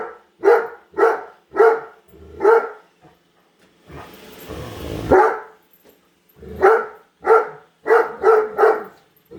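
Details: A female Great Dane keeps barking at a new Roomba robot vacuum indoors; four evenly spaced deep barks, a burst of loud hissing machine noise, then six more barks in quick succession.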